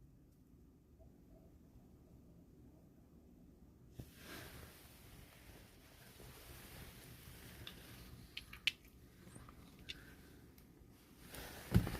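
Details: Quiet small room with faint background hiss, soft rustling and a few light taps and clicks, no animal call standing out.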